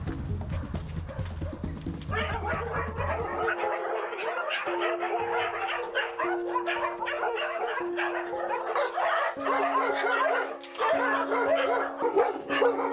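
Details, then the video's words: Many dogs barking together at a farm where hundreds are kept in cramped cages; after a few seconds of music, dense overlapping barks and yelps start and continue throughout over steady background music tones. "PD: Có thể nghe thấy tiếng chó sủa..!"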